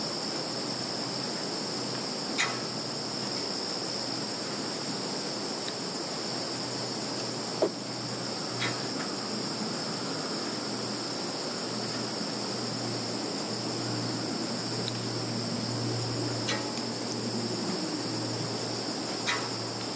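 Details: Insects calling in a field in Zhukovsky district, Kaluga region, Russia, on 11 September 2019, recorded with a Samsung Galaxy 10S+: a steady, unbroken high-pitched ringing drone in two bands, with a few sharp clicks scattered through.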